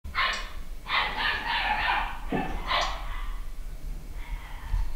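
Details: Pedigree Papillon puppy, a nine-week-old male home bred in the UK, giving sharp, high yapping bursts, some run together into a longer stretch of barking, then a short pause and one more yip, in a quiet room.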